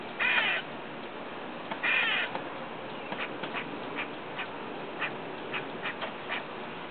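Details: A squirrel outside a window next door, eating and making strange noises: two loud, harsh, rasping bursts early on, then a series of faint clicks and ticks spaced through the rest.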